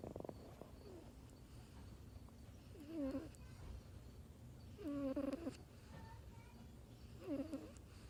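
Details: Kitten asleep, snoring loud, with three squeaky, nasal, whistled breaths spaced about two seconds apart and quiet low rumble between them.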